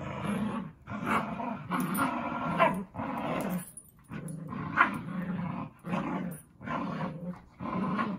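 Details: Zuko and Izzy, two dogs, at play: a run of gravelly growling bursts roughly every second, rising and falling in loudness, with light thumps and scuffles between them.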